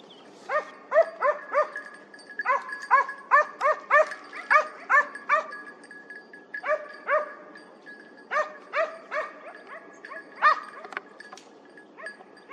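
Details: Hounds giving tongue during a hare hunt at the opening of the 2023-24 hunting season, after a dry summer: bursts of short, harmonic yelping barks about two per second, separated by brief pauses.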